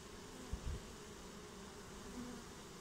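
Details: Honeybee swarm buzzing as it settles in a new home, continuous low hum broken by soft thumps around half a second and a brief louder bee tone near two seconds.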